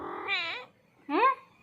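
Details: A domestic cat, found hiding indoors and scolded as a little thief, gives two clear meows: a drawn-out wavering cry, a brief pause, then a shorter rising-falling meow.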